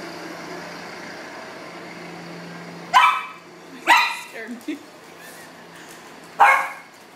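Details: Leo, a pug in a studio in Portland, Maine, barking to serenade a city worker friend passing by; three loud, harsh barks spaced about a second and then two seconds apart, with softer grunts between, over a steady indoor hum.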